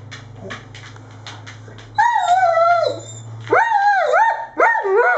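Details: Irish Setter letting out long, whining, howl-like barks that slide up and then fall, following a low steady hum and faint quick taps in the background.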